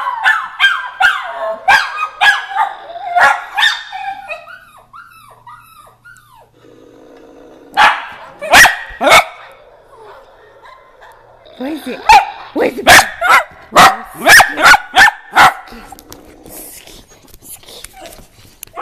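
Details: Several pet dachshunds bark at apps on a phone: yappy barks and wavering whines at first, a quieter stretch with a low hum, then a fresh volley of loud, quick barks.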